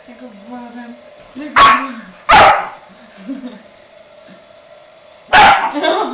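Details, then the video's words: Staffordshire pup, Shiba and chihuahua going wild at a hair dryer; three loud, harsh barks spaced irregularly over six seconds, with a man's low voice talking between them and a constant background hum. "Boy am stafford pup en Shiba, chihuahua gaan los op de feun"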